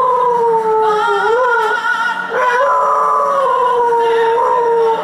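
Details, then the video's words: Dog singing along to Kate Smith's God Bless America played at a Yankees seventh inning stretch: one sustained, gently wavering howl with a brief upward swoop midway, recorded song playing underneath. "dog sings to Kate Smith - God Bless America"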